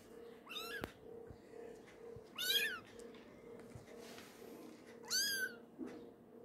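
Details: One-month-old kitten mewing three times, each call a brief high rising-then-falling cry about two seconds apart, over a constant background hum in a small room.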